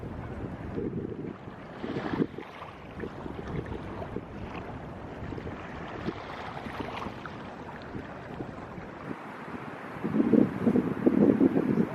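Wind buffeting the microphone over a low rumble of surf or boat engine, with no animal calls standing out.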